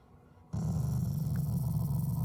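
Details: A Shiba Inu, a loving family dog, growls as an affectionate expression rather than anger. After half a second of quiet, a deep, rumbling, steady growl starts abruptly and continues unbroken to the end.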